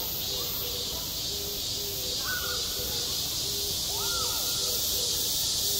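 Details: Cicadas singing in midsummer at a school playground: a dense, steady high-pitched buzzing drone with a faint rapid pulsing, over low harmonic calls and short rising and falling cries, possibly a crow.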